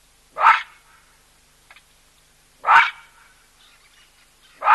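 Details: A baboon gives loud, harsh barks, three abrupt blasts spaced about two seconds apart, near a waterhole where a skittish cheetah drinks with elephants.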